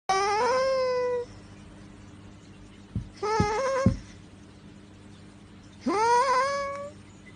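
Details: Domestic cat meowing three times: two long, rising-then-level harmonic meows about five seconds apart, with a shorter clipped call and sharp clicks between them, over a faint steady hum.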